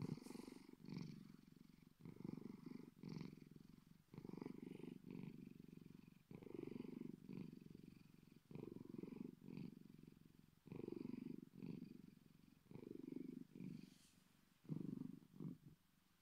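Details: Deep purring from the Bengal cat Bedford, likened to a big cat, running continuously as a low throbbing rumble in rhythmic breath-paced bursts of about a second each, with small clicks between some of them.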